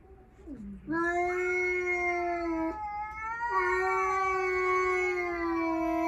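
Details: Tense yowling as a stray cat confronts a multi-cat household where the only male steps forward; one sustained, harmonic-rich wail held for about five seconds, breaking briefly midway and then resuming at a similar pitch.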